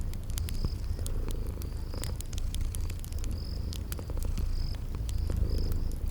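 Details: Continuous low purring from sleeping kitties, with the fireplace setting and spring garden ambience around it. Brief high chirps sound every second or so, mixed with scattered snapping crackles of burning wood.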